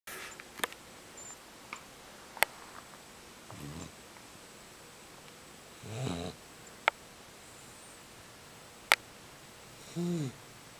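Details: Neapolitan Mastiff puppy named Boomer, seven weeks old and 23 pounds, asleep in a cat bed indoors, snoring in three slow rasping breaths spaced a few seconds apart, with sharp clicks and taps in between.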